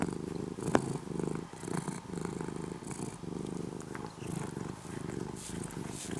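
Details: Orange-and-white former stray kitten, nearly a house cat now, purring continuously in the morning; deep even rumble rising and falling with each breath, with a brief sharp click near the start.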